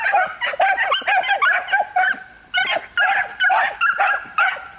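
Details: Young miniature wire-haired dachshunds, three dogs aged one year, urged to bark persistently in training for hunting; shrill, clipped yaps come in fast, uneven clusters with brief pauses between volleys.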